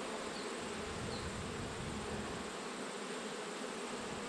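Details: Hive of honey bees hums throughout an autumn hive inspection, with frames of new white wax being checked; thick, even droning of many bees with no breaks and no other sounds.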